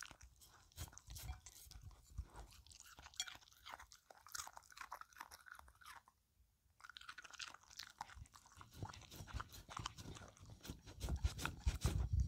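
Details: Cucumber snack being licked and eaten by the dog Filou, rapid clicky licks and crunches about three per second, a brief silent pause midway, then heavier chewing toward the end.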